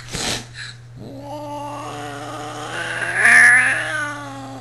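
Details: Angry 20-year-old cat Brat, upset once housemate cat Sierra tried to pass her, gives a long drawn-out moaning yowl with rich harmonics that climbs in pitch and loudness near the end, preceded by a brief rustle, with steady background hum.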